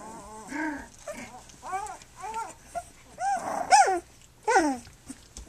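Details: Flute's three-week-old puppies nursing and playing on their three-week birthday: a busy run of short, arched, whiny whimpers and squeals, rising then falling, roughly eight in five seconds, some overlapping, the last ones higher and sharper.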